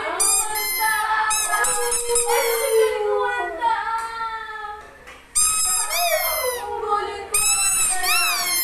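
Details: Coco Chan, a Siberian Husky kept as a singing pet dog, gives drawn-out tonal howls that bend up and down and trail off, broken by brief pauses before fresh, higher bursts resume.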